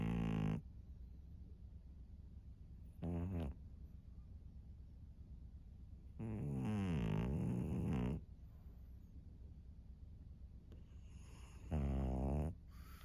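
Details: Maria, a thirteen-year-old fawn female pug in Japan, snoring on March 3, 2024: four separate rasping, buzzing breaths of varying length, separated by quiet pauses, with a faint low hum throughout.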